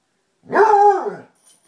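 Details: Basset Hound bark from play between two dogs, Tracker and the new puppy Ranger, rough housing: a single loud, drawn-out baying bark lasting under a second, rich and harmonic, steady then falling at the end, in an otherwise quiet space.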